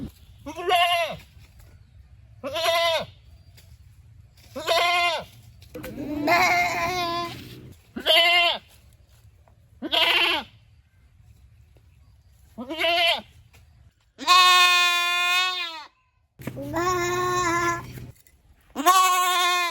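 A goat bleats repeatedly, each nasal, quavering call lasting about a second.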